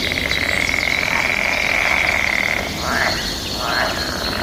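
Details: Frogs calling back and forth in mating season, a dense continuous trilling chorus holding a steady high pitch, with brief rising bird notes near the end against a natural outdoor background.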